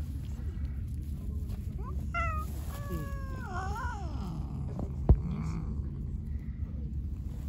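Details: White cat described as angry and attacking everyone, giving short rising and falling meows with bright stacked harmonics around the middle of the clip, over steady low background rumble and a sharp click.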